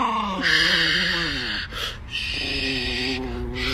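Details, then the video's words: Angry Chihuahua Nikki, a pet dog at home, gives a wavering, quavering tonal moan that rises and falls in pitch, broken briefly midway by a noisy break, with a voice urging it to look. "The Most Angry Chihuahua Compilation #1"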